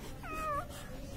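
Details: Newborn Labrador Retriever puppy, one or two days old, gives a single short squealing whine that rises then slides down, lasting about half a second, over low background hum.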